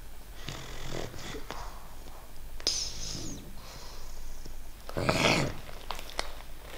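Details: A young female English Bulldog puppy, sick with a cold and runny nose and on antibiotics, snores in rough, wheezy bursts with snuffling breaths between them, indoors in Portugal.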